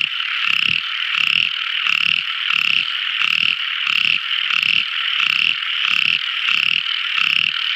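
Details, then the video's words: Tiny frog's nocturnal song: evenly spaced low rattling croaks, about eleven in eight seconds, beneath a constant piercing high trill and fainter high buzzing. "Amazing Sweet Sound Tiny Frog Crying | Never Listening So Beautiful Frog Song! At Night Time!"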